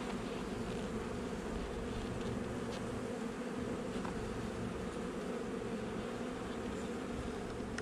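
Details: Continuous low buzzing of honey bees during a hive inspection of a nuc installed a little over a month earlier, recorded 8 July 2020; a steady droning hum with faint brief clicks and no distinct calls.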